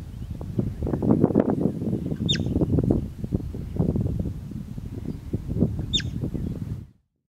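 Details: Steppe marmot, or bobak, giving two brief piercing whistles about four seconds apart over heavy low rushing noise that stops abruptly near the end.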